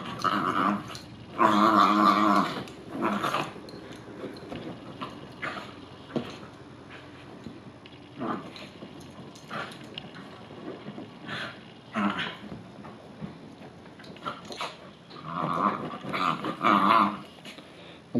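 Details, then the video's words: Bichon Frise dog upset after rain or a bath, growling and grumbling indoors in harmonic bursts, loudest near the start and end, with quieter snorts and shuffling between. "Bichon Frise Dogs Upset After Rain Freaks"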